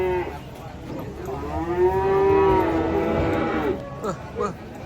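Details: Skinny cattle unable to stand, unloaded from a truck: one long, rich moo swells and slides upward for about two seconds, then fades, followed by brief rougher calls amid men's voices.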